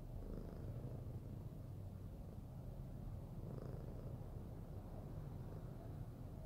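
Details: Fluffy pet cat purring while cuddled, a continuous deep, even rumble with soft breathy texture.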